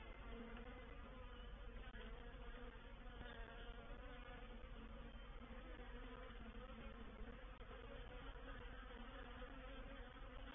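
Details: Honey bees of a reproductive swarm entering a swarm trap at Painted Peacock Manor, 04/07/21: dense, continuous droning buzz with layered low harmonic tones, unbroken from start to finish.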